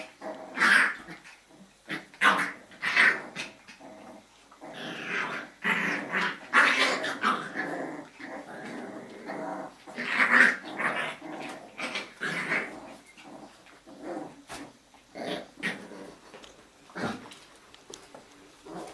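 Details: Jack Russell Terrier puppies of a breeder's litter at evening play, continuous rough growling and snarling with high squeaky yips, repeated bursts every second or so from several pups wrestling together.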